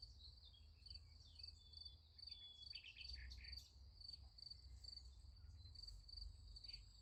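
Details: Crickets chirp through the night near a sunflower field in an unbroken high pulsed rhythm. Several short descending whistled notes from other callers break in early, over a low hum.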